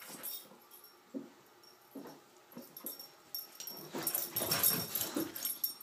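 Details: Border Collie playing on the stairs: breathy huffs and snorts at an uneven rhythm, roughly two per second, with scrabbling and thumping growing louder and busier toward the end.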